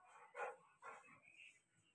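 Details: Rottweiler named Billu in Haryana, during a scuffle with its mother over a ball: two short, rough bark-like bursts half a second apart, fairly faint, followed by quieter low rumbling and room noise.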